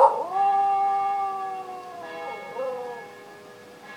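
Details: Henry the Welsh Terrier howling with the church bells, one long sustained, slightly wavering howl that falls and briefly rises near its end before fading, with a bell strike at the close.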